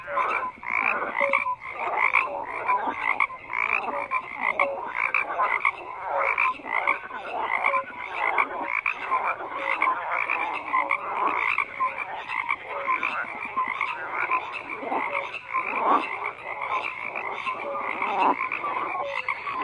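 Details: Continuous croaking of many frogs together, a thick overlapping wall of rasping calls with scattered short tonal notes, no pause across the whole stretch.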